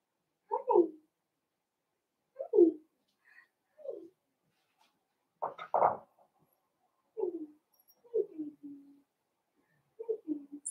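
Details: Blenheim Cavalier King Charles Spaniel puppies, a litter born around New Year's, in an indoor puppy pen at a breeder's home; short mid-pitched yelps and whimpers falling in pitch, coming in irregular bursts about every one to two seconds.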